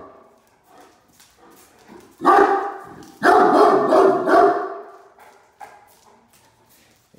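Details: Two Great Danes acting as watch dogs, one barking at a truck in the driveway while the other holds a toy: a burst of heavy, deep barks in the middle, quieter scuffling and a person's voice before and after.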